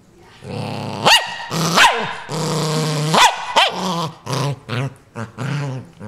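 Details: ['Dog named Ninja defending a new toy, mixing sustained growls with sudden sharp barks that spike upward, then a string of shorter growling bursts.']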